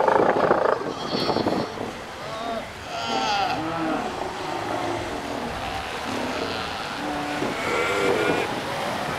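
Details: A chorus of Northern fur seals (Callorhinus ursinus) on Lovushki Island in the Northern Kurils call over one another with hoarse, bleating, mooing cries.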